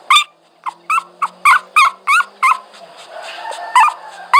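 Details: Dog whimpering: rapid series of short, high, bent whine notes, about three per second, with soft background hum.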